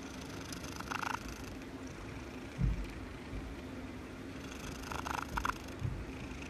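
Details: Purring domestic cat, deep continuous rumble with a few louder low thumps and light rustling noises.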